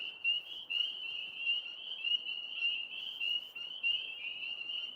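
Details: Frogs calling outdoors in the background: a steady, high, pulsing trill that holds one pitch without a break, rising and falling slightly in loudness. No other clear sounds.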